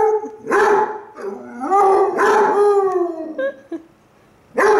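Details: Basset Hounds Cooper and Jahko trading howls at each other, Cooper too lazy to get up and howling while lying down; drawn-out baying notes that slide upward and hold, broken by short yelps, then a brief quiet before another bay.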